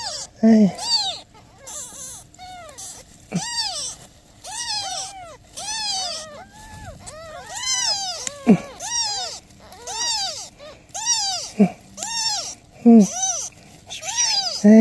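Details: Newborn kittens meowing as their mother cat asks for help: dense, overlapping high arched meows, rising and falling, repeated almost continuously with occasional sharp clicks and soft low rumbles beneath.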